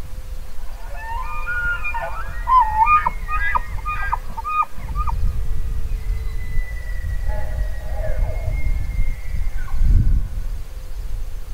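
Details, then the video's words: Elk bugle with a quick series of stepped, harmonic whistled notes early on, then a long thin level whistle lasting several seconds, over continuous wind noise and a rumbling bump near the end. "Elk Bugling"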